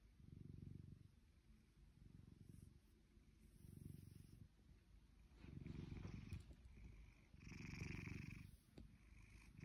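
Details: A nearly two-year-old blue British Shorthair cat, lazing, purrs in a deep steady rumble swelling and fading with each breath.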